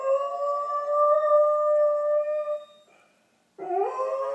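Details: Doberman howling along with distant emergency sirens at 8:30 in the morning, recorded indoors on an iPhone; one long steady tonal howl with rich harmonics lasting nearly three seconds, a short pause, then a new rising howl begins.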